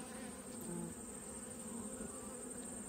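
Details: Short stretch of honey bee colony buzzing during an autumn inspection of the hive's top box, an even low-pitched hum with a faint steady whine above it.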